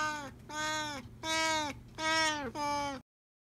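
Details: A male Siamese cat gives four loud, drawn-out meows in quick succession, each falling slightly at the end.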